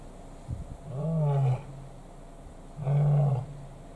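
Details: Lions in Kruger National Park, South Africa, where three large males compete for one lioness and two of the males clash: two deep, drawn-out roaring bouts about a second each, separated by a short pause, with a faint rural background.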